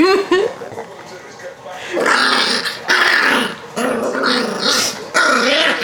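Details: Pet Yorkshire Terrier named Rocky growling and whining while being tickled and held against a person's knees; rising whiny yelps and rough growls come in bursts, with a person laughing and talking between them.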